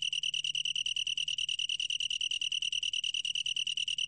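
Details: Long-tailed tree cricket singing a steady, high, pure-toned trill made of rapid, evenly spaced pulses, about eleven per second, with no pause and no other clear sounds.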